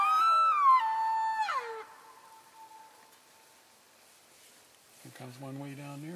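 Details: Elk in a herd on February 3, 2012, calling to keep in touch as they move from one grazing area to another: a high, whistled mew with rich harmonics that slides downward over nearly two seconds, then fades, followed by a man talking.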